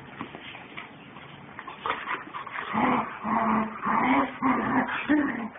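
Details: German Shepherds Captain and Samantha playing hard together, giving a run of throaty growl-whines in pulses about every second, rising in loudness toward the middle, with scuffling noise underneath.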